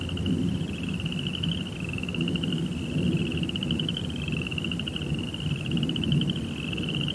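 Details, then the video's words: A nighttime cricket chorus forms a high, fast-pulsing trill in overlapping phrases, partly covered by a strong, continuous low-pitched rumble. "2 Hours of Serenity with Cricket Sounds"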